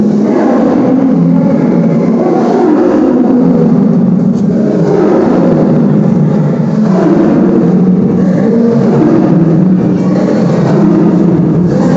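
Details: Steady low rumble of vehicle or engine noise with a muffled musical tone, and no animal voices.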